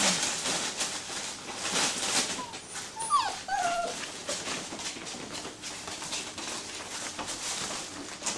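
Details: Six-week-old Greater Swiss Mountain Dog puppies whimper in thin, high squeaks. A cluster of sliding, falling whines comes near the middle, with a few softer whines after, over steady rustling and shuffling noise.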